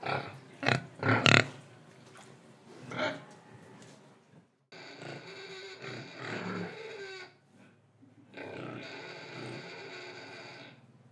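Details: Indonesian pig oinking, breathing and eating: several sharp grunts at the start, followed by two long, noisy, harsh squealing stretches separated by a brief silence.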